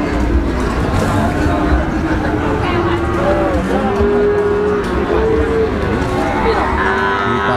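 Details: Cattle at the Tuban cattle market: drawn-out tonal moos swelling and falling in the middle of the clip, heard over a loud, constant din of crowd voices and market noise.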